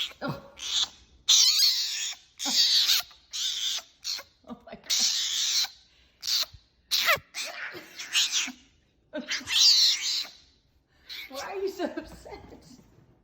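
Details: A fennec fox making crazy noises: a dozen or so harsh, hissy, high bursts, each under a second long, broken by short silences, with a person briefly talking to it.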